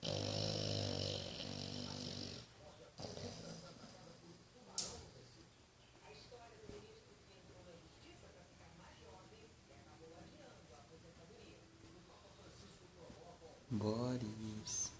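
An English Bulldog snores with a deep, rasping, rattling breath, loud at the start and again near the end.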